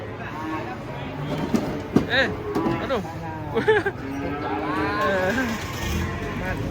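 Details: Large cattle being unloaded from a truck in Indonesia, lowing in drawn-out moos with a few short rising calls, amid men's excited voices and a rumbling vehicle.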